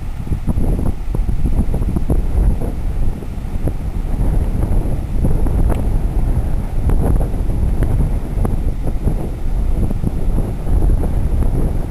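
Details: Heavy wind buffeting the microphone fills the recording with low rumbling and gusty thumps, and no animal can be picked out.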